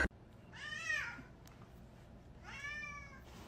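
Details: Kitten in a cute kitten compilation mewing twice, each meow a clear arched cry that rises and falls, the two spaced about two seconds apart in a quiet room.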